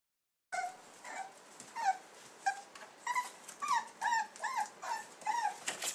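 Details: Soft Coated Wheaten Terrier puppies at 14 weeks give a quick run of high, whining yips. About a dozen short tonal cries bend up and down in pitch over five seconds, with a faint hiss behind them.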